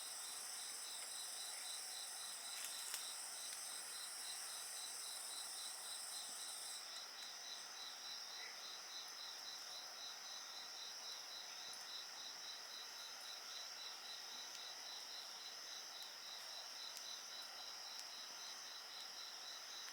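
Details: Insects sing beside a crackling bonfire: a dense high shimmering chorus with a steady pulsed trill repeating rapidly, another continuous high band fading out after a few seconds, and occasional soft pops from the fire.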